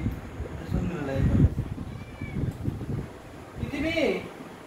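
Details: Domestic cat meowing while being fed beef at home: a short rising-falling meow near the end, with people talking in Bengali throughout.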